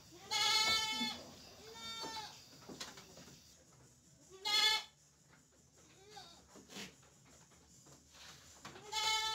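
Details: Penned goats used to eating fresh cassava leaves, at afternoon feeding after the trough is cleaned: loud, wavering, nasal bleats repeat about four times, each roughly half a second, with rustling and soft clatter between.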